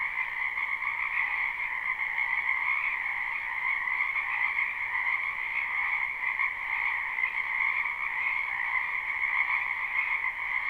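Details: Frogs crowd a spring wetland behind a home, captured in a live unlooped recording; their croaking merges into a constant pulsing drone in a high and a lower band, steady in loudness for the whole stretch.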